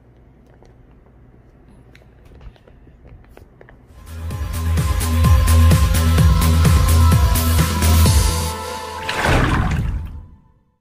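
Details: Music with a steady low beat, quiet at first, swelling loud from about four seconds, then fading out near the end, with a brief watery rush.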